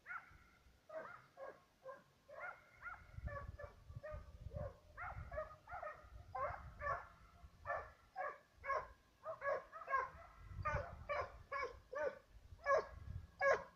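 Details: Serbian hounds, two dogs hunting on a fox and roe deer trail. They give dense, overlapping baying in a near-continuous chorus of tonal bays, speeding up toward the end, with low rumbling noise underneath.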